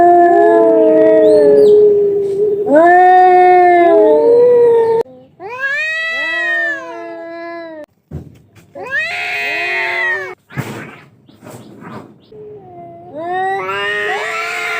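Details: Two cats locked in a fight trade drawn-out, wavering yowls, then shorter, harsher rising wails with brief noisy spits and sudden silences between outbursts, before a final climbing howl.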